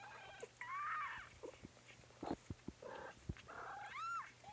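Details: Kittens mewing in a live kitten stream: several thin, high, arching meows, one long drawn-out cry followed by shorter squeaky mews and a final rising-falling meow, with soft rustling and a person's gentle talk nearby.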